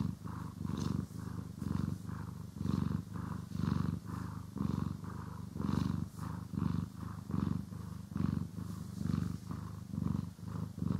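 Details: Cat purring contentedly while groomed and brushed, recorded in stereo: continuous deep vibrating purr in quick regular breath pulses, a little faster than once a second, with soft swishing brush sounds.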